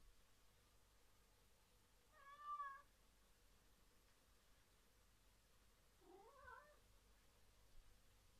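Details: Pet cat crossing a suspension bridge back and forth indoors: two short meows, the first a clear, steady, mid-pitched mew near the 2.5-second mark, the second a bending, wavering meow about four seconds later, in a quiet room.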